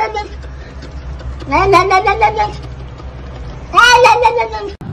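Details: A cat from a compilation featuring Luna and Simba gives two drawn-out meows, each under a second long. The pitch rises and then falls over a steady low background hum.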